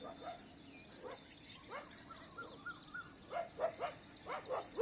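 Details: Pet dogs clashing unexpectedly with street dogs on a morning walk; scattered barks early, then a run of sharp, rising yelping barks in the last second and a half, with faint high bird chirps throughout.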